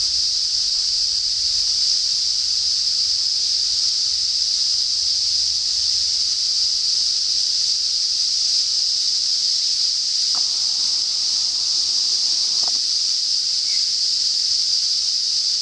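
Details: Cicadas in north-east Australia, singing at the approach of summer, give a steady, high-pitched buzzing drone that carries on without a break.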